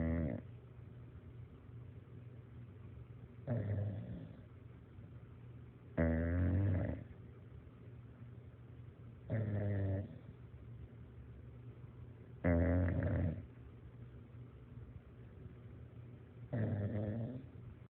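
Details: Bulldog snoring, loud rasping snores about every three seconds with quiet breathing between, low rattling tones.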